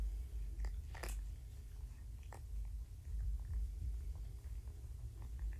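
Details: Young shelter kittens, found abandoned in a roadside box and taken in by Purrfect Pals, purring while snuggled and handled indoors; a steady low rumble pulses continuously, with brief rustles and clicks of handling above it.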